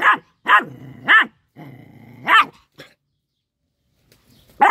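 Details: Little dog eating fish lets out short sharp barks linked by sustained low growls, a few bursts about a second apart, then quiet.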